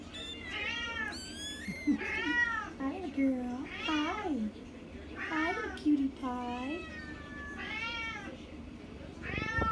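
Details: A 4-week-old Bambino dwarf sphynx kitten, a hairless cat breed, gives a run of high, wavering meows, some rising and falling, repeated every second or so, with lower murmured sounds between them.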